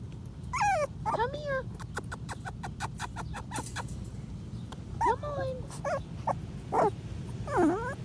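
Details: Five-week-old Patterdale Terrier puppies exploring a homemade earth tunnel of black PVC pipe give high whimpers and yips that slide steeply downward, about one a second, with tapping clicks and a person's encouraging voice.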